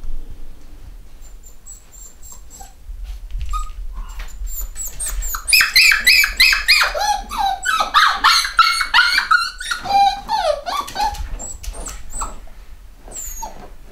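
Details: Eight-week-old black Cockapoo puppies, boys and girls from one home-bred UK litter, raise an overlapping chorus of shrill yelps and whining cries that swell in the middle and fade, with soft rustling beneath.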